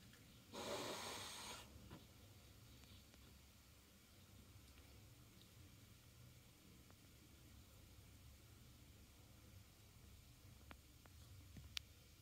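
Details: Roy, a Norwegian Forest Cat exploring boxes after a vet visit, hisses into a hole: one sharp, breathy hiss lasting about a second, then quiet.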